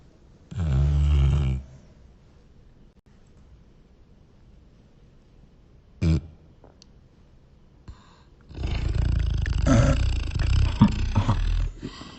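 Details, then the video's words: A sleeping Beagle snores in a small room: a deep, rough snort near the start, a brief grunt around six seconds, then a long, loud rumbling snore in the final four seconds. "Sleepy beagle snoring"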